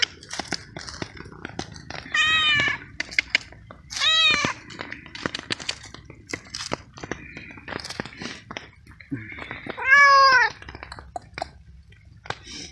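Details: Hungry stray cat out on the street at night in steady rain, eating cooked veal and meowing with happiness; three clear rising-falling harmonic meows among wet clicking, chewing and rain noise.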